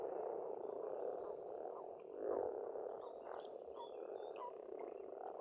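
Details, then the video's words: Frogs at an Estonian pond in spring croak in a thick, unbroken chorus with a louder swell in the middle, while birds add brief high chirps and whistles. "Расслабляющее пение птиц и лягушек, весна, природа."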